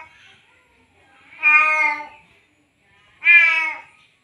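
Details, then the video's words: Tomcat in heat, fresh from mating and wanting more, summons a female cat: two strong, slightly falling meows about two seconds apart follow a faint murmur at the start. "Meong meong sijantan manggil betina"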